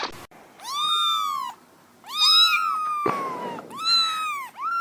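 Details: Domestic kittens and cats meowing: three loud, drawn-out meows with rich harmonics, each rising then falling, roughly a second long, separated by short pauses, with a brief rustle between calls.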